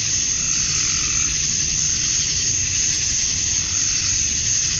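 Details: Cicadas at dusk on a summer night in Georgia, USA, the males calling to attract females: a dense, steady, hissing buzz, high-pitched and unbroken, with a sharp upper edge and no pauses, like a continuous wall of sound.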